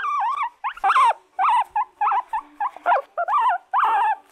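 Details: Guinea pigs kept as pets whining steadily, loud wavering squeals that dip and rise in pitch, repeated almost continuously with brief gaps, some carrying a rough, harsh edge.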